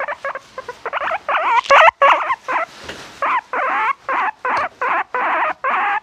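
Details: Loud, drawn-out wavering squeals from a guinea pig, starting with rapid choppy notes and settling into longer warbling calls about half a second each, evenly spaced, with soft room noise between.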